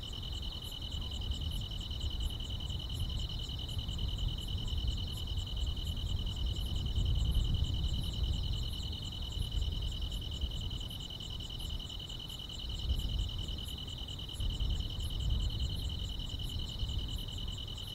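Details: On a summer night, grass insects produce a constant shrill trilling chorus, layered with a fainter, evenly pulsed high ticking and a rumbling low background throughout.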